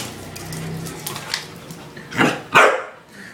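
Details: Fatto, a dog playing with his new toy, lets out two short, loud barks in quick succession near the end, after a stretch of quieter rustling.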